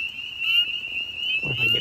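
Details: At night at a deep vernal pool in spring, after warm weather, a spring peeper calls from a log: a high, steady, piercing whistle that holds nearly level and rises slightly.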